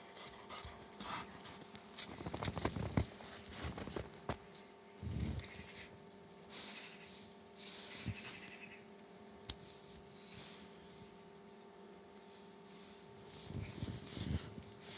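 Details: Kangal dogs, tired after chasing wolves and just back from the hunt, panting quickly and quietly, with louder breathy bursts near the start and the end, over a steady low indoor hum.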